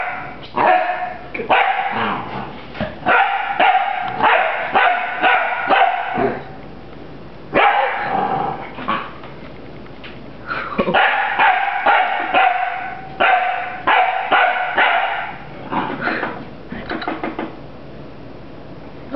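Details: Puppy Rafiiki fighting a broom, barking in two long volleys of rapid shrill yaps, several per second, separated by a short lull; some barks slide into whiny, growly tones.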